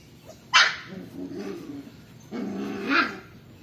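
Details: A 35-day-old puppy, a Belgian Shepherd and German Shepherd cross, gives two short sharp barks about two seconds apart, each trailing into a lower yelping tail, against faint background noise.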